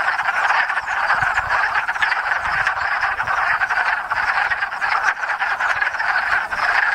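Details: Massed wood frogs calling at a spring breeding pond in Enosburgh, where they leave rafts of eggs; an unbroken chorus of short, rasping quacks and clucks, densely layered and steady.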